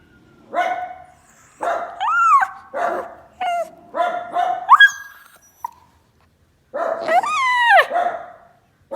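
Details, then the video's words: Pet dog barking at passers-by: a run of about six sharp, harmonic barks in quick bursts, several sliding upward into yelping whines, with a short pause before a final long rising-and-falling bark. "The dog barks at the passers-by"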